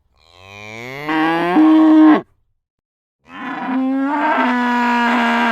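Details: Cow giving two drawn-out moos. The first swells and rises in pitch. After a short pause, the second holds a long, steady, loud tone.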